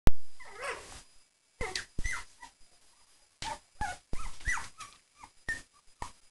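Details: Three-week-old puppies playing with an adult Cavalier indoors. Short high squeaky yips and whimpers come in scattered bursts, with brief pauses between them.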